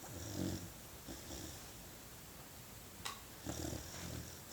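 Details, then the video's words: Sleeping puppy snoring: soft, breathy, low rumbling breaths at irregular intervals, with a sharp click near the middle and light background hiss. "Snoring Puppy"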